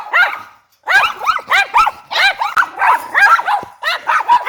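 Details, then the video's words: Group of dogs barking, a run of sharp arched barks in quick succession, about two to three per second, overlapping voices after a short opening gap. "Dogs Barking Sound Effects/ GROUP Barking"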